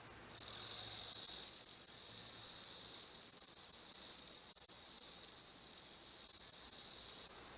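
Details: Close macro-lens recording of a singing bell cricket, which gives a sustained, bright, high metallic trill that barely wavers in pitch and swells gently in loudness throughout, with no other sounds.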